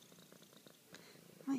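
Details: Bella Luna, a pet cat, purring while being affectionate: a soft low pulsed rumble with beats about a tenth of a second apart, then a brief louder low tone at the very end.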